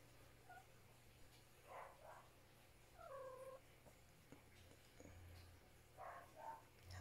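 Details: Pet cat indoors in the morning making several short, soft, chirping meows spaced a second or more apart, some with a slight pitch bend, over a low background hum.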